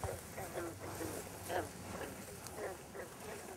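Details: A chorus of green frogs (Lithobates clamitans) calls at night at a New England breeding site. Each frog gives a short, low, twanging note like a plucked banjo string, while a bullfrog gives a longer, rumbling call in the distance.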